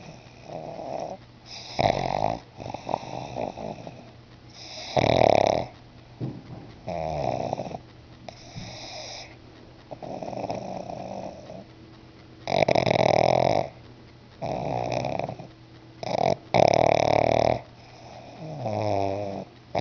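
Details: Sleeping pug named Bruno snoring indoors: loud rasping wheezy breaths in bursts of about a second, irregularly spaced, some with whistling tones, over a constant low electrical hum.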